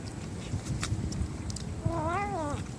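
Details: Stray kitten, one of a litter of four born to a young white mother cat in a residential area by a bus terminal, gives a single short meow that rises and then falls, over a low background rumble and faint voices.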